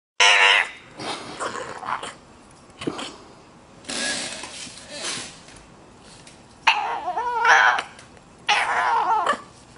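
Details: Male bulldog making odd, talkative vocal sounds indoors: short harmonic whines and grumbles in separate bursts, rising and falling, with quiet pauses between them.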